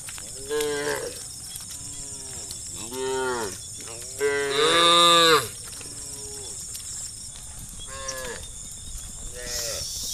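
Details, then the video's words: Cows calling their friends while a herd of hundreds of tame cattle is herded to green pasture; repeated short moos from several animals, one much louder and longer, with a constant high insect-like hiss in the background. "the sound of cows calling their friends"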